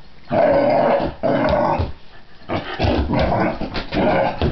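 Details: Pit bull dog facing a cat indoors, giving harsh rasping growls in long rolling bursts with short gaps between them.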